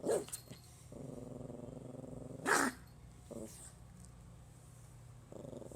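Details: Pomeranian puppy growling while trying to scare its owner. A sharp yap comes first, then a steady low growl holds for about a second and a half. A loud bark bursts out, followed by shorter growl fragments.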